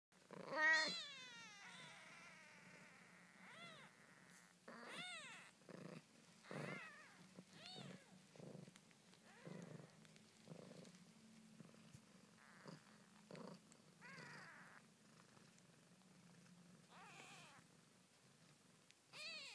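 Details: Newborn Siamese kittens, one day old, born 20 February 2010 in York, UK: a low steady purr hums throughout, broken by frequent high, squeaky rising-and-falling mews, one loud near the start and more scattered across the clip.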